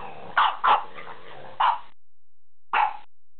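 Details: Two French bulldogs giving short, sharp barks, a pair close together, then a single bark and another after a second's pause, with quiet gaps between.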